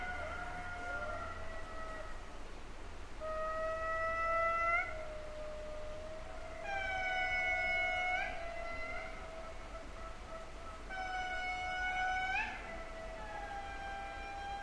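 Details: Indri song recorded in Madagascar by a passive acoustic monitoring array: long wailing, siren-like notes holding steady, then sliding and swelling in loud bursts.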